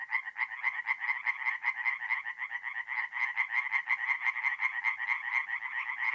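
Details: Tree frogs call in a dense, rapid chorus of raspy, pulsing croaks at a forest pond at night in mid-April in north-east Italy.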